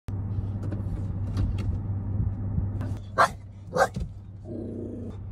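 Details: Shiba Inu reacting to mountain goats at Bow Lake, Banff National Park, in the Canadian Rockies of Alberta. Two short, abrupt barks about half a second apart rise above a steady low engine-like rumble and wind.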